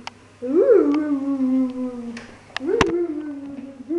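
A Siberian Husky gives a sustained howl that rises, wavers and slides down, then starts again.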